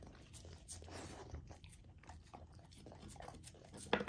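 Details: A female Golden Retriever puppy eats a partly frozen raw food dinner, with wet crunching, smacking bites, licking and slurping close up in a small room.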